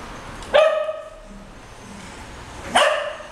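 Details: English Cocker Spaniels Moving and Luize, aged nearly 13 years and nearly 9 months, romping on a bed indoors; two sharp, bright barks about two seconds apart, each ringing briefly before fading, over a quiet room hiss.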